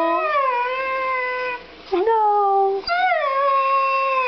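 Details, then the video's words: Indoors, Demon the Siberian Husky answers his owner with sustained, gently falling howls, briefly broken by a short dip before two more long, even wails in a small room. "Having a conversation with my husky"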